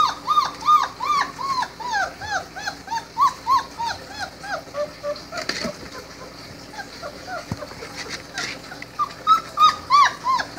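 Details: Four-week-old Great Dane puppies give high, thin whimpers and yips, each cry rising and falling in a quick arch. Several pups call at once, about three cries per second, with brief quieter gaps and a few soft thumps.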